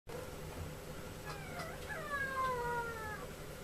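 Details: Male Chihuahua puppy born 30 July 2014, kept at a pet shop in Yokosuka, Kanagawa, Japan, gives a thin, high, drawn-out whine that slides downward in pitch, over steady low background hum.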